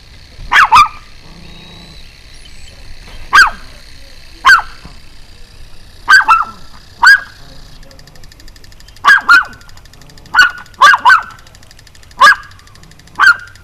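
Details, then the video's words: Relentless barking from a jumping Pomeranian on an early-June 2012 evening: about thirteen short, high yaps over fourteen seconds, some in quick doubles, irregularly spaced, with a low background hum. "Pomeranian's Relentless Barking"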